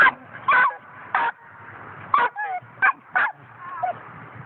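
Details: Young coonhound, five months old, lets out a handful of loud yelping barks spaced about half a second apart, with thin whining notes drifting between them.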